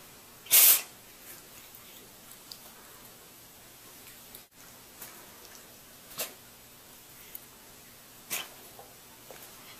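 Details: One loud, abrupt cat sneeze near the start, a brief airy snap, followed by a long stretch of quiet room tone with a few faint soft clicks and rustles.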